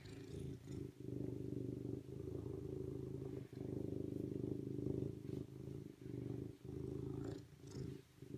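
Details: Low throbbing purr from a serval, long even stretches of rumble interrupted by brief gaps, soft scratchy noises faintly above.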